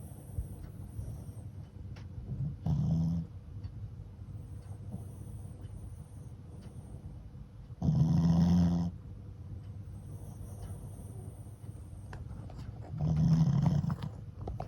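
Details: A Shih Tzu × Pekingese cross, a flat-faced dog sleeping after lots of play, snores in low rumbling bursts about every five seconds, each lasting around a second, with quiet background hiss between.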